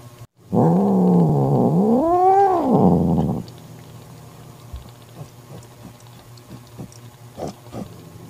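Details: Mother cat Mocha, protecting her newborn kitten from her jealous sister Kofi, lets out a loud wavering growl that swells into a rising and falling yowl lasting about three seconds, followed by quiet rustling and small clicks.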